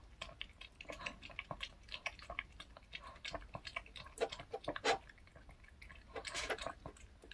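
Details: Indoors, Reka the dog works on a cupcake and milk snack bought at K Pet Fair. Rapid wet smacking and lapping-like clicks, some louder crisp bursts, crowd together in quick irregular succession.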